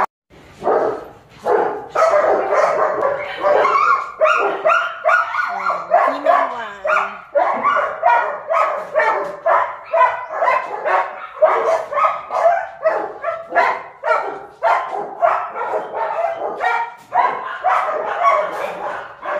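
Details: Several German Shepherd pups at a kennel bark nonstop, sharp high yaps repeating about twice a second in an overlapping, excited stream lasting the whole stretch.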